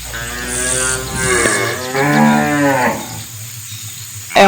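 A cow gives a long, deep moo, a rich nasal lowing that swells and then fades away.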